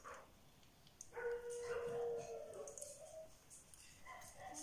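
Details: Shiba Inu puppies whose eyes have just opened: one puppy gives a long, steady, high whine lasting over a second, followed by softer squeaky murmurs, while a person talks gently in French nearby.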